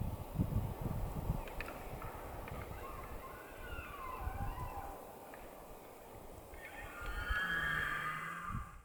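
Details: Elk in rutting season, White Mountains of Arizona. Low rumbling and faint wavering whistles give way to a loud, high, sustained whistled bugle near the end, carried over a steady low tone.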